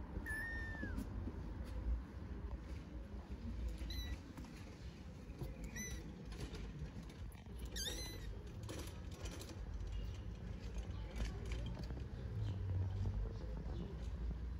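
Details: Kitten unable to get off a stone, meowing loudly: a series of short, high, bright cries spaced a couple of seconds apart, with a quick double call midway, over constant low-pitched outdoor noise.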